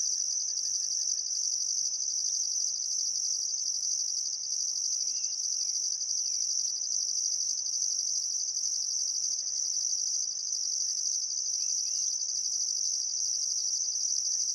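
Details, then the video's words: A steady high cricket chorus fills a still summer sunset by the Barcoo River in Welford National Park, Outback Queensland, with a second shrill layer pulsing about twice per second and scattered faint distant bird notes. "Australian Sunset Chirping Crickets"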